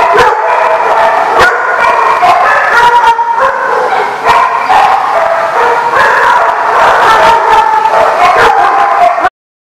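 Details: Chorus of dogs at The Barking Lot on 26 June 2015: constant overlapping barks, yips and higher whining tones without pause, loud throughout, ending abruptly in silence.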